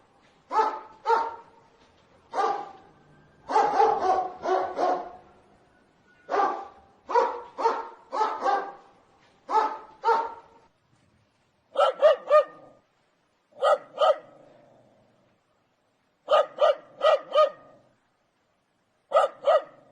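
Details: Angry barking dog giving loud, clipped barks in irregular clusters of two to four, some rapid volleys, with brief silences between bursts throughout.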